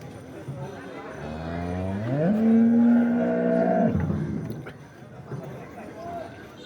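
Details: A large cow, aged by her four teeth and kept with her female calf, gives one long, loud, low moo lasting about two seconds, steady in pitch and then dropping away, over faint background chatter.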